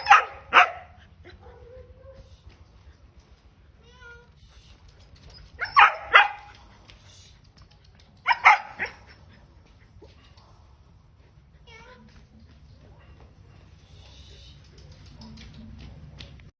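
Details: A 4-month-old German Shepherd puppy gives sharp, high barks in short bursts, separated by quiet pauses.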